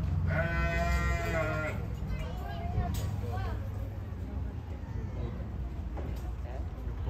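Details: Yuki and Wine, two wombats, talking briefly in the afternoon: an opening hoarse, harmonic bleat of over a second, trailing into soft wavering notes, over steady low-frequency noise.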